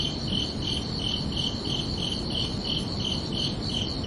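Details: Crickets chirping under a peaceful night sky: clear, rhythmic high chirps about three per second, with a faint low rumble underneath.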